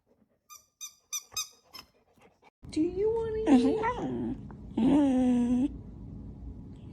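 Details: Pet dog in a funny compilation of 'talking' dogs: a few soft clicks, then drawn-out, wavering howl-like vocal sounds that rise and fall in pitch like speech, in two long phrases.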